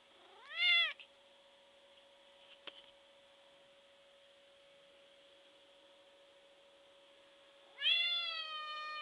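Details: Big white shaved domestic cat screaming for attention indoors: two very loud, high, harmonic meows rising then sustained, one at the start and one near the end, separated by quiet with a steady electrical tone.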